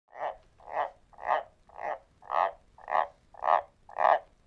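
A White's tree frog gives a steady series of deep, husky croaks, about two every second.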